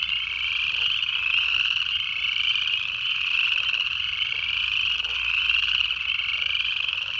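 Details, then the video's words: Native frogs calling in a dense night chorus in the Georgia Piedmont in January: a steady, high, pulsing trill with overlapping callers that swells and fades every few seconds and never stops. "Native Frog Calls"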